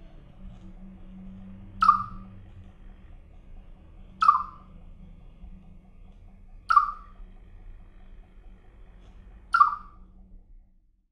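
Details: A pet Siberian chipmunk, recorded in 2017 and described as singing, gives sharp, clicky chirps, one every two and a half seconds.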